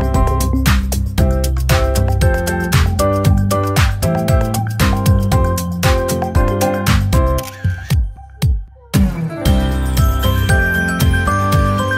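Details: Loud rhythmic music with plucked, beat-driven notes and a brief pause near the end, with no animal voice.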